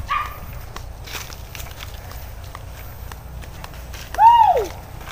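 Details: Hunting dog released to chase wild boar through brush, heard during a boar hunt; a brief high yelp at the start, then one loud arched yelp with rich overtones that rises and falls near the end, over rustling and footsteps.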